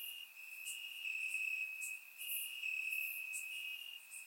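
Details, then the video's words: Chorus of crickets chirping in grass after dark, summer, Bulgaria, surround-microphone recording; an unbroken piercing trill with rhythmic swells, plus faint higher tinkling chirps from further insects. "Cricket Sounds - Crickets Chirping at Night"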